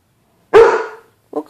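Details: Pet dog Bruce Wayne barks at his reflection in the glass of a closet door, treating it as another dog; one loud, rough bark fading over half a second, followed by a quick softer yip.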